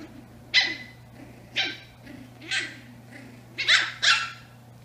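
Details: Eight-week-old Brussels Griffon puppies, twin sisters, at play: five short, high-pitched yaps, spaced about a second apart with the last two close together, and faint soft sounds between them over a low electrical hum.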